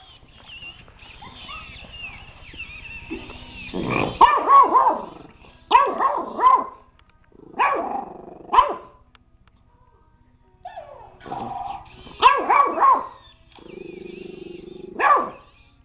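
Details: Pet puppy JJ barking repeatedly at a robot dog, bursts of two or three shrill yapping barks spaced by short pauses, with whirring electronic tones from the toy and a low rumble in the background.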